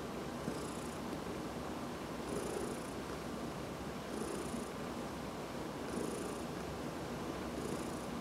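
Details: Domestic cat Dinah or Heidi, two adopted older cats, purring while being massaged; a steady low rumbling purr runs throughout, with soft bursts of high rustling recurring roughly every one and a half to two seconds.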